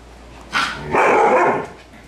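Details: Siberian Husky barking at playing puppies: two loud bark-howls in quick succession, the second longer and drawn out, with a quiet background.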